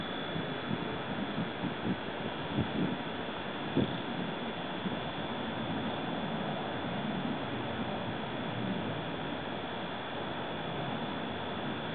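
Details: Steady broadband wind or engine rumble fills the recording, with a faint constant high tone and a few soft knocks, but no animal calls.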